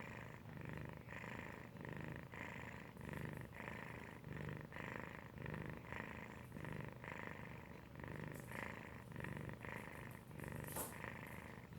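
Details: Felix the domestic cat purr-snoring in sleep: rhythmic low purring, a breathy swell roughly every second and a quarter, steady for the whole stretch, with a brief sharp rustle near the end.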